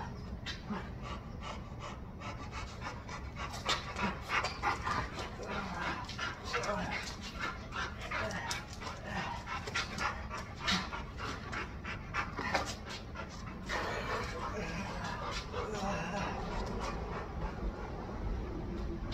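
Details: Chow Chow dog panting while being trained with tug play: rapid, breathy, noisy puffs, roughly three per second and irregular, with scuffling, under a person's spoken commands and praise.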